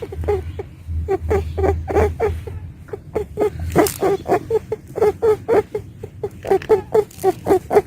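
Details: A female pet rabbit makes a quick run of soft, short grunts, about four each second.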